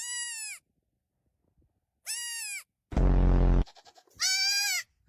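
A goat gives three loud, nasal bleats, each about half a second long, with a harsh burst between.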